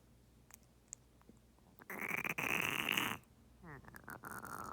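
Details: A female turtle with pneumonia gives a harsh, breathy, croaking gasp like a wheezing exhalation; she swam with her mouth open gasping for breath and couldn't submerge, and improved after three weeks of antibiotic injections.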